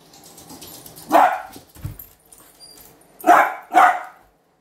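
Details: A young dachshund, being trained against excessive barking with a non-shock anti-bark collar, gives three sharp, mid-pitched barks, the last two close together.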